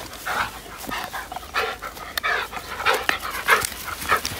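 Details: Labrador Retriever named Cedric at Bavaria's Sylvenstein reservoir on a fetching outing. Quick, uneven puffs of panting come about every half second, with brief faint tonal whines threaded between them.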